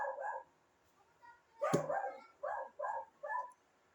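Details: Dog barking indoors, a series of short sharp barks: two quick barks, a louder cracking bark with a sharp click, then three evenly spaced barks near the end.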